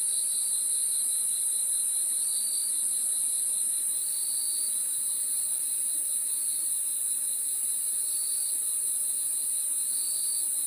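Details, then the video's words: Night chorus of crickets, an unbroken piercing high whine layered with a softer, lower trill that rises in short surges about every two seconds, steady loudness throughout. "Crickets sound effect"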